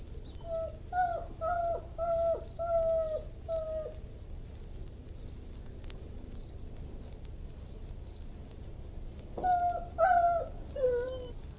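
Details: Irish Wolfhound giving bursts of short high whining notes, several quick falling whimpers in a cluster, a few seconds of quiet, then another cluster of plaintive whines.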